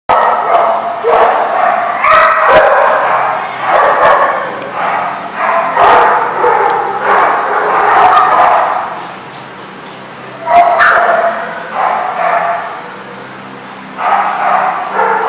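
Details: Dogs at The Barking Lot on 28 February 2014 keep up a dense, almost unbroken chorus of overlapping barks and yelps, dropping to brief lulls near the ten- and thirteen-second marks before the barking surges again.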